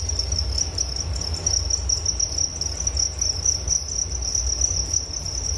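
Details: Crickets chirping as a relaxing nature sound for sleep: a steady high-pitched trill held without a break, with a fainter, higher second band above it and a low rumble underneath.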